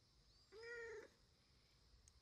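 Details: Orange-and-white male house cat, rescued as a kitten, begging his owner with a sweet, coaxing voice; a single clear, level, tonal meow about half a second long, followed by quiet and a woman's Japanese speech.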